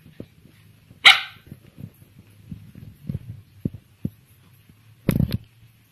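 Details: Nine-week-old female Samoyed puppy in Bandung, Indonesia, during basic training on the command to speak: one sharp bark, then soft low rumbling and faint taps, then a second short harsh bark near the end.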